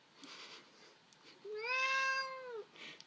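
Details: Irritated Sphynx cat whining indoors because it is denied an arm to pounce on; a single drawn-out nasal whine rises slightly, holds, and falls away, framed by faint breathy room noise and a person's voice.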